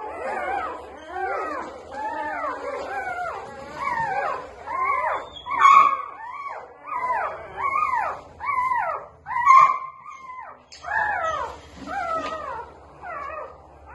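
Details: A litter of newborn Labrador Retriever puppies whining and squeaking, bursts of stacked high-pitched cries in pulses about every second, with a louder squeal around the middle and a brief pause near the end.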